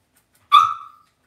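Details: Cavalier King Charles Spaniel puppy, raised indoors in a home puppy pen, gives a single short yelp that rises sharply then trails off in a flat, slightly falling whine lasting about half a second; otherwise quiet.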